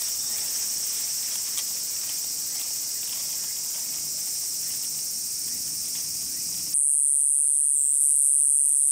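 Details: Kayakiri katydid calling on a midsummer night in grassland, its voice said to rival the noisy Kutsuwamushi; a loud, unbroken high buzzing drone holds steady, then turns abruptly harsher and brighter near the end.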